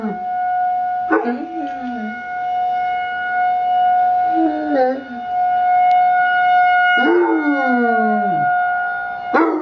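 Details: Alvin, a young Basset Hound, joins in with the weekly emergency test siren, giving several sliding, descending howls, one short and others longer, while the siren's constant tones hold beneath them.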